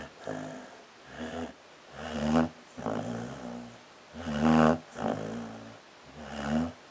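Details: Prospect the dog caught snoring in his sleep, harsh buzzy snores coming in bursts about a second apart, alternating inhaled and exhaled rasps, a couple noticeably louder.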